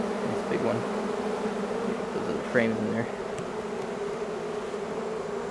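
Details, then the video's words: Large honeybee swarm arriving at a new home. A continuous low, even buzzing drone holds steady, with a short rising chirp-like sweep partway through. "Large Honeybee Swarm moving in"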